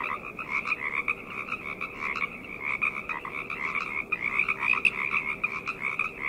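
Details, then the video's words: Night frog chorus: dense overlapping croaks and trills layered in two bands, with faint tonal hum beneath. "Frog Chorus - Night Ambient Sounds"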